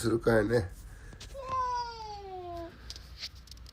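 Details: Domestic cat, hungry and waiting for food, lets out one long, smooth, falling meow lasting over a second, right after a person says in Japanese that they will get it ready; quiet room otherwise.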